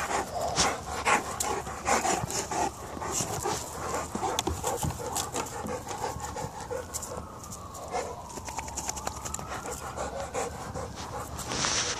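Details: Two Presa Canario dogs, Niko and Nala, play fighting: quick, irregular panting bursts with scuffling noises throughout, while a siren rises and falls faintly in the background near the middle.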